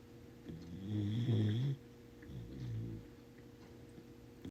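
A corgi puppy snores in two low, rumbling breaths, the first louder and longer.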